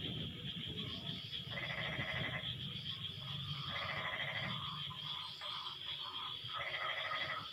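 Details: Chorus of frogs calling back and forth after the rain ends, with buzzy pulsed bursts roughly every second or two, overlapping voices, a constant shrill insect hum and some low background rumble.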